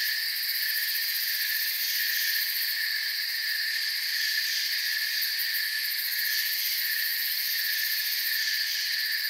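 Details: Forest crickets chirp without pause, their steady layered high trills merging into one even wall of sound at a constant level, with nothing else standing out.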